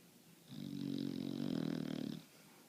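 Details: Sleeping bulldog snoring indoors: a single long, loud, rattling snore lasting about a second and a half, with a low vibrating drone that swells and fades, quiet room around it.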